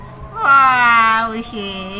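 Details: Domestic cat looking at itself in a mirror gives a long, drawn-out meow that slides slightly downward for about a second, then a shorter second meow; soft music plays in the background.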